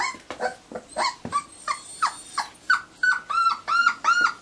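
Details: Four-week-old Irish Terrier pups, recorded 29 January 2011, whimpering in quick succession; cries start breathy and ragged, then turn into clear arching high-pitched squeals, about three per second.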